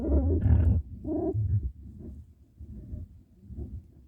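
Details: Badger during a fight, making low grunting growls: two loud, rough bursts in the first second and a half, then quieter rumbling grunts fading off.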